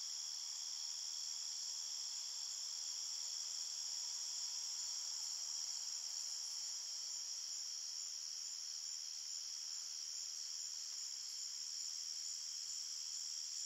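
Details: Forest crickets at night keep up a steady, rapid, high-pitched trilling chorus of several overlapping tones, even in loudness, with no other sounds.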